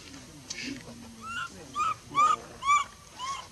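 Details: A female baby monkey at Bayon, rejected from nursing by her mother, gives a run of five high, arching whimpers roughly twice a second, each rising then sliding down, with faint murmuring underneath.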